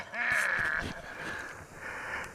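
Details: A big public-land 7x7 bull elk bugles while coming in, a contact bugle calling cows: a high whistling note held steady before trailing off.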